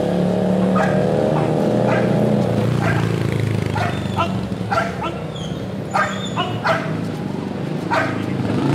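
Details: Belgian Malinois males, 15 and 10 months old, in attack, patrol and personal protection training: sharp, broadband barks in irregular bursts over steady low engine rumble, with a man's voice at the start.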